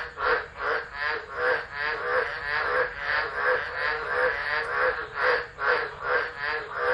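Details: Frog chorus recorded on a phone set down at Driver, Northern Territory, Australia, during a tropical low on 13 December 2013. Rapid, rasping croaks overlap in a quick rhythm of about two to three per second, swelling and fading in waves.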